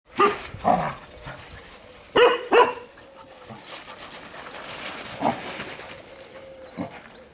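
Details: Welsh Springer Spaniel Storm plays in a garden alongside other dogs on 23 April 2018. Loud, sharp barks come singly and in quick pairs, then fainter yaps follow across the rest of the stretch.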